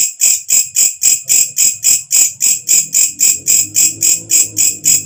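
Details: ['A walang kecek katydid, an insect that calls loudly at nightfall and is used as a tutor sound for songbirds, gives shrill, high-pitched rasping pulses about four per second, each with a quick rise, in a steady rhythm over a faint low hum.']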